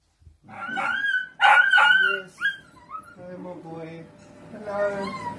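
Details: Miniature dachshund at play, giving high, wavering whines and yips that rise and fall in pitch, with a short sharp burst midway and lower, softer whimpers toward the end; a voice speaks faintly alongside.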